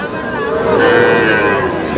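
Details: Calves, bull and heifer alike, at a market in Aftabganj on 23 June: a single sustained moo that builds and then fades over two seconds, with crowd voices throughout.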